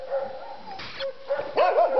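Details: Young dog, seven months old, at a boar pen on 27 January 2011, giving high, wavering yelps and whining barks at wild boar, rising and falling quickly in the final second.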